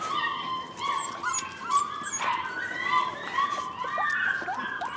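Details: Several rescue puppies, possibly Corgi–Airedale mixes, whine and yip in high, overlapping, wavering cries while running and playing.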